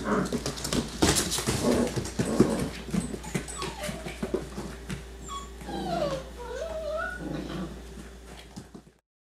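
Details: Six-week-old yellow and black Labrador Retriever puppies from a black Labrador mother give rough little growls and high squeaky whines while running and playing together.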